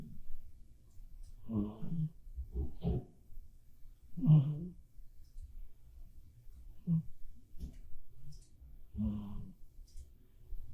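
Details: Asleep indoors, the black cat Bappuri gives rough, low snores in an uneven rhythm, some doubled, with short clicking and sniffing sounds in between.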